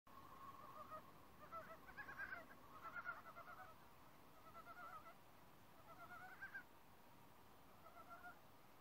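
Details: Frogs calling in a forest, quiet at first after sensing people, then joining in one by one into a chorus: soft, nasal, rapidly pulsed notes in short clusters, fading in and out against a faint hiss.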